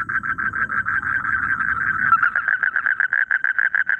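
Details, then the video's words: A single frog in rice fields giving a fast train of short, evenly spaced pulsed notes, around seven per second, over a low rumbling background that fades after two seconds. "SUARA KODOK DI SAWAH | The Sound of Frogs in the Rice Fields"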